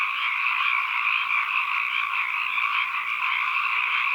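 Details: Frog chorus as ambient sound: a thick, uniform mass of overlapping croaking calls holding at mid-high pitch for the whole stretch, with no gaps and no other sounds.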